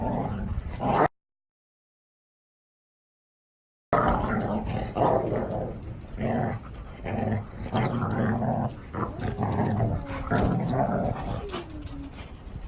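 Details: Large dogs in a three-dog household of Samoyed–Chow Chow crosses and a blue merle Border Collie, playing together; broken bursts of low growls and yips with scuffling, several seconds apart, after a brief silent gap.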